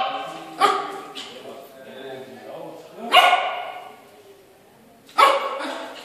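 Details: Yorkshire Terrier barking on first seeing itself in a mirror: three sharp, loud single barks spaced about two seconds apart, with quieter whimpering sounds between them and people talking in a small room.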